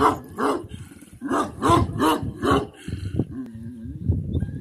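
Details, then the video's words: Kangal puppy at a breeding farm: a run of short hoarse yelping barks, about six in quick succession, followed by a drawn-out whine and softer grumbling sounds. "kangal yavrusu"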